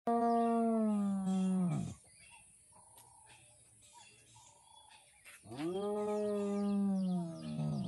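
Two drawn-out, resonant calls from a spotted hyena frame a quiet pause: the first slides gradually downward before breaking off, while the second climbs in a rising whoop. Faint, higher tones murmur in the background between them.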